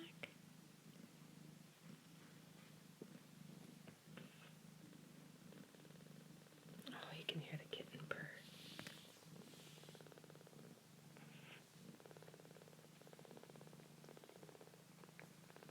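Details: Foster kittens purr steadily, a soft low rumble with a fine pulsing texture, while a woman talks quietly as they settle to eat and sleep.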